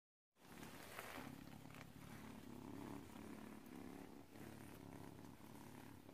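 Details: An adoptable kitten purrs away: a soft, continuous low rumble that pulses quickly and evenly under a steady background hiss.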